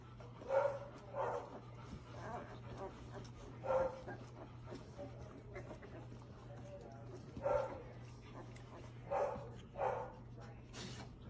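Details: Labrador Retriever giving short, muffled barks or yips, spaced irregularly every one to two seconds and sometimes paired, over a low steady hum.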